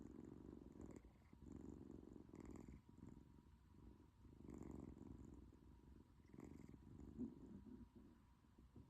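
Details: British Shorthair kitten snoring and purring together while asleep indoors: soft, low rumbling purr swelling and fading with each breath roughly every one and a half seconds, quiet and steady with no other sounds.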